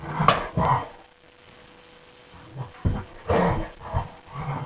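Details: Two dogs playing in the morning with subdued 'inside' voices: a few low grumbling growls and soft huffs separated by a quiet gap, faint and breathy.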